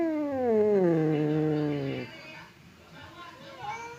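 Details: Domestic cat Temon or Lelo, kept apart by a divider while squaring off, gives a low descending growling yowl lasting about two seconds, followed by quieter rough sounds and a faint rising cry.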